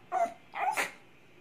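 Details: Male Toy Poodle, a pet indoors, 'answering' his owner because he wants to be carried downstairs to pee: two short whiny yips, the second rising into a higher, strained cry, with a faint voice nearby.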